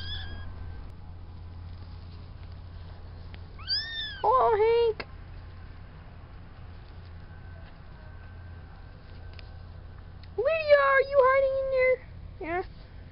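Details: Farm kittens a few weeks old, Spanky's litter of four at the fluffball stage: two clear meows, one at about four seconds with a falling tone, then a longer wavering, slightly rising cry near ten seconds, over a steady low hum.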